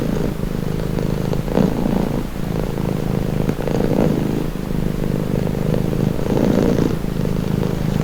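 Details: Relaxing purr from a domestic cat, a deep continuous rumble whose breath phases swell roughly every one to two seconds, close-miked and otherwise quiet.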